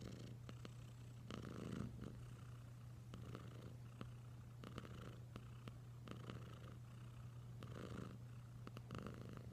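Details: Cat Wylla Stout purring close up: a deep constant hum with soft breathy swells roughly every second and scattered light clicks.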